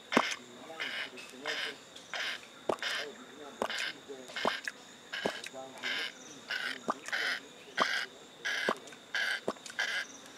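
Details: At a sanctuary, male chimpanzee Stanley lip-smacks while grooming his pal Gabby. Crisp clicking smacks come in steady bursts roughly every two-thirds of a second, with faint background hum.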